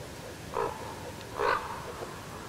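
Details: An adult male roe deer with new velvet antlers, filmed in Shebekinsky district, Belgorod region, Russia, gives two short, hoarse calls about a second apart.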